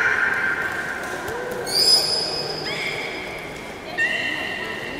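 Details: Beluga during a public training session at Port of Nagoya Public Aquarium, Japan, on 18 July 2016, 13:30 show: steady harmonic whistled tones, one starting with a quick upward sweep near two seconds, another entering near four seconds, over soft background murmur.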